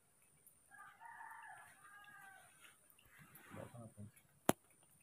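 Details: Baby monkeys Moni and Mino, kept and hand-raised at home, excited at morning milk time: a drawn-out, wavering tonal cry with stacked harmonics lasting about two seconds, followed by soft rustling, a quiet spoken word and a sharp click.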